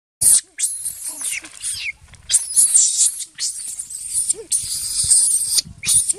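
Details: Baby monkey named Jinx crying after being attacked by another monkey, Spring: shrill, piercing screams in rapid bursts, mostly very high-pitched, with brief gaps between outbursts and a few lower squeaks.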